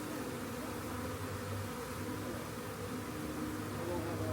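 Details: Swarming honey bees, found by a rain gauge and collected, make an unbroken humming buzz with a low steady undertone, faint voices possibly in the background.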